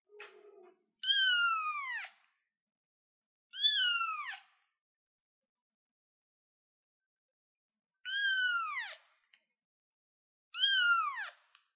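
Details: Kitten on a chair giving four high, drawn-out meows, each starting high and sliding downward, spaced a few seconds apart with silence between; a faint low sound precedes the first.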